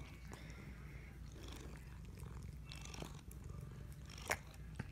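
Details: A pet cat being scratched near her tail, described as laughing. She gives a low, steady rumbling purr with soft clicks and rustles and a brief sharp sound near the end; a woman speaks quietly.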